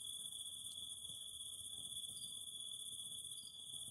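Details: Cicadas singing beside a fire: a steady, unbroken high-pitched insect drone with a second shrill band above it, and a few short chirps layered over the top.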